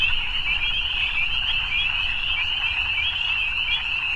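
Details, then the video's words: Chorus of evening frogs: an unbroken, high, buzzing trill of many overlapping callers, even in loudness, with soft low-frequency background noise. "Evening Frogs"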